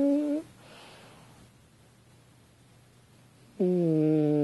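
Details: Lucy, a French Bulldog, asleep on a couch indoors, snoring: a droning, tonal snore fades out at the start, a long quiet stretch of breathing follows, then another humming snore swells up and holds steady.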